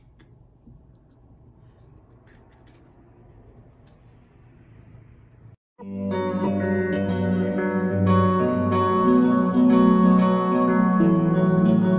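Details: Low room hum for several seconds, then loud strummed guitar music with effects fills the rest; no animal is heard.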